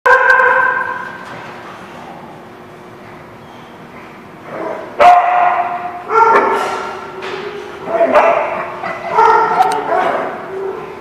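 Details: Dog barking, recorded 4/8/17; a long, harmonic, whining call opens, then loud yelping barks come in short bursts of one to three, separated by quieter gaps.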